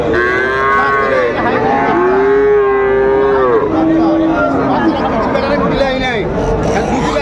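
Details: Friesian heifer calves at Raniganj cattle market, Dinajpur, on 12 July 2024: a long, steady, mid-pitched moo held for about two seconds, then shorter lowing calls, over a constant din of market chatter.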